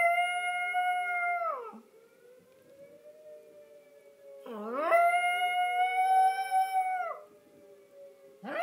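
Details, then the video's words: {'caption': 'Hershey, a pet Yorkshire Terrier, howls along with the monthly tornado siren test held on the 1st of the month. Two long, steady, tonal howls end in a downward slide. A low siren drones faintly between them.'} "Yorkie Hershey singing the Tornado song"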